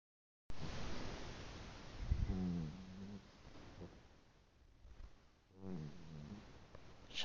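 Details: Shostakovich the cat sound asleep in granny's arms, sitting on her lap, snoring loudly: low rumbling snores with harmonic bands, one burst near the start and another later, with rustling in a small indoor room.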